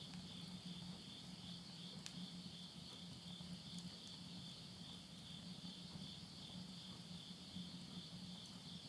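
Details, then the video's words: Insects singing at midnight in the Japanese countryside of Tottori, September 2020, end of summer: a steady shrill trill and a lower beating pulse run throughout, with a few sharp crackles from a wood stove. "the voice of insects"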